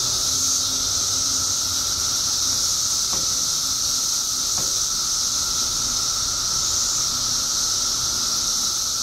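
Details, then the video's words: Illinois periodical cicadas, emerged by the billions after 17 years underground, produce a loud constant hissing drone and a steady lower whine, broken by two faint clicks. "Billions of Periodical Cicadas Emerge After 17 Years Underground Cicadas Making Noise"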